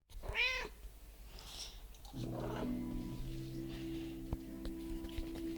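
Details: Domestic cat meowing along while its owner sings a Finnish pop song indoors: one clear rising-falling meow near the start, then guitar or keyboard chords and sung vocals take over.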